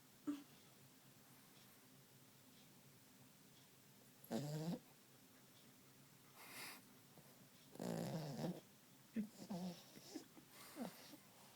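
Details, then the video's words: Sleeping Yorkshire Terrier snoring indoors: low, rough, rattling breaths in irregular bursts, the loudest near the start and again around the middle and end, separated by quiet stretches with faint room hiss. "Snoring Yorkie"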